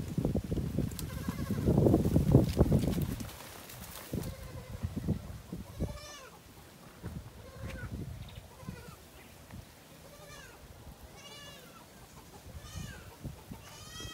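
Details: Goats during mating; after early thumping and rustling, a run of faint quavering bleats follows every second or so, thin and tremulous, with some distant harmonic calls.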